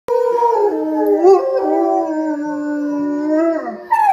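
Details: A German Shepherd howls a long, smooth tone that slides slowly downward, joined by a howling Rottweiler and by wolf howls from the film Zootopia.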